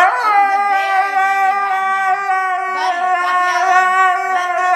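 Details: Siberian Husky throwing a fit at not going out, letting out one long, unbroken screaming howl that wavers slightly in pitch and carries strong, layered overtones throughout.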